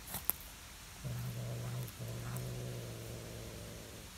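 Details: Normally calm stray cat threatening a watching calico cat while keeping to itself a river fish left behind by anglers; a low, steady, droning growl that starts after a second, pauses briefly, then continues buzzing to the end.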